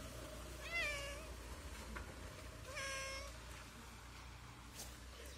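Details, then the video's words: Hungry street cat meowing from hunger: two drawn-out, harmonic-rich meows, the first near one second and the second near three seconds, each slightly rising then falling, over a steady low background hum. "A wonderful cat meowing from so much hunger"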